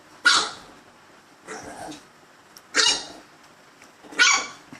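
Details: A dog named Gizmo barking at himself: four harsh barks about one and a half seconds apart, the second softer and lower than the others.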